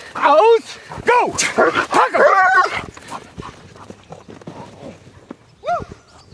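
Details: German Shepherd in protection dog training gives a rapid string of loud, arching barks, about one a second at first. Then a quieter pause, and a single bark near the end. A handler shouts commands.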